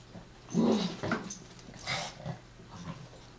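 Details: Chihuahuas Taco and Santi at play, chasing and wrestling: a brief rough growl early on, followed by softer snorts and scuffling as the two boys tussle.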